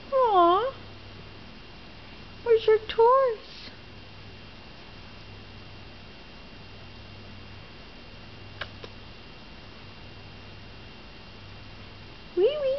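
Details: Polydactyl calico kitten, a rescue adoptee from Northern California, walking around making an unusual whiny, squeaky meow: short wavering high squeaks in small bursts, separated by long quiet gaps, with a woman talking softly to her.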